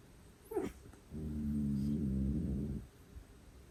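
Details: A pet cat, one of two heavy snorers likened to sleep apnea, gives a short sniff, then a long buzzing, droning snore lasting nearly two seconds, steady and low, in a quiet room.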